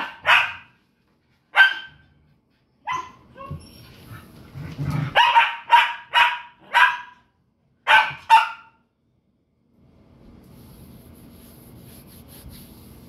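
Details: Pet dog barking while playing with another dog indoors: a run of about ten sharp, loud barks, first spaced a second or more apart, then coming in quicker bursts, followed by quiet room hum.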